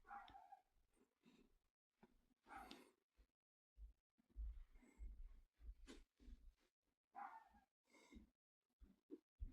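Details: Dog barking in uneven bursts, with deep thumping low barks clustered in the middle and higher, breathier yelps between them, all in a small indoor space.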